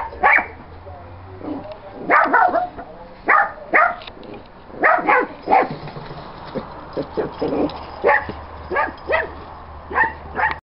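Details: Small fat dog at a big window, unable to get out the door to chase a cat, barking sharply and excitedly: about fifteen short, high yapping barks in uneven bursts, often a second or less apart, with faint voices beneath.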